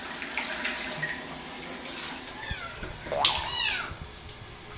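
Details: Housecat complaining on bath day, a few rising-then-falling meows that bunch together near the end, heard over running water and splashing.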